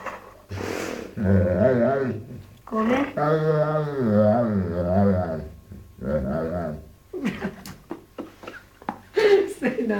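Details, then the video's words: Zed, a pet dog said to say "mamma", indoors: drawn-out, wavering voiced moans rising and falling in pitch, with a long growly middle stretch and shorter bursts, mixed with human voices close by. "ZED il cane che dice MAMMA"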